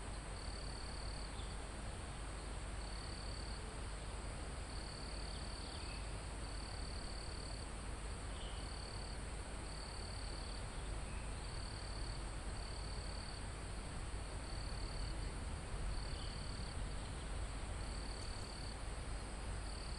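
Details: High, thin cricket trills repeat in regular bursts about every second or so in a forest almost at the top of a mountain, recorded live, set against a continuous airy rush of wind through leaves and trees.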